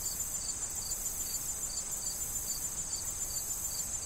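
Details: Crickets among corn stalks in autumn wind: about ten clear, high chirps in four seconds, evenly spaced, layered over a shrill continuous trill and a low, steady rustle.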